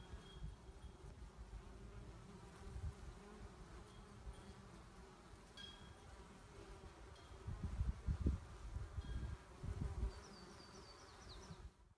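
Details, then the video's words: Honey bee hive in 2017, the single surviving colony out of four and a defensive one, giving a dense low hum that grows into louder buzzing bursts around eight to ten seconds, with faint high chirps near the end. "2017 Bees"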